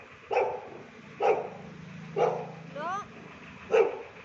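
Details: A Shih Tzu playing with a street dog gives short, punchy barks about once a second, with one rising whine between them and a woman talking nearby.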